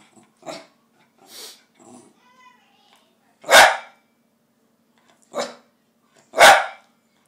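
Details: A pet dog that wants tikka masala gives quieter whines and grumbles, then three loud sharp barks about a second or more apart.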